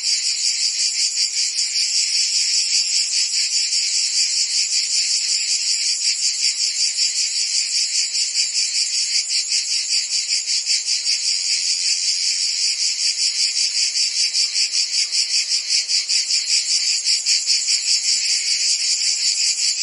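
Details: Crickets and insects chirping together in an unbroken high, buzzy drone, pulsing rhythmically about two and a half times a second throughout, with no birds, wind or voices; meant as relaxing sleep background.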